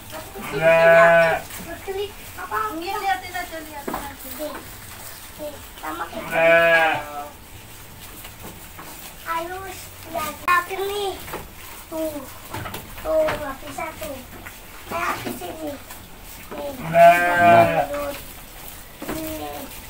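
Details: Goat being hand-fed by a mother and child, bleating in three loud wavering bursts spaced several seconds apart, each rich and quavering, with talking and laughter from people filling the gaps between calls.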